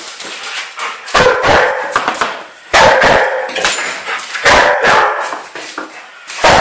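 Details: Young Old English Sheepdog, a twelve-month-old female, barking giddily while being chased in play. Loud, harsh barks come in irregular clusters, some doubled, with short yips and a faint voice between them.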